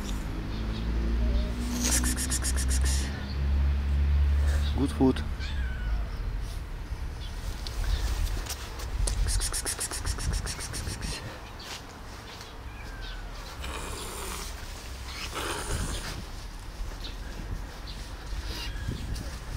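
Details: One domestic cat meowing while another hisses at it: a clear, tonal meow near the middle, framed by loud, breathy hiss bursts, over low rumbling background noise and a person speaking gently about food.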